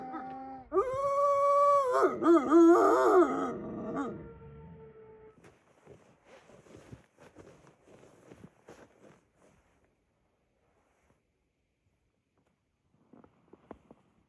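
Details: Wolfdogs at Wolfdog Forest, a snowy Hokkaido enclosure in Japan, howl loudly for a few seconds with wavering, bending tones, then fade into soft scattered whimpers and rustling, followed by near silence.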